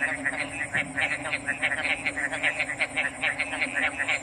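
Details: A brief stretch of frog calls: quick, rough croaks repeat several times a second in a busy chorus, with a steady high hiss running underneath.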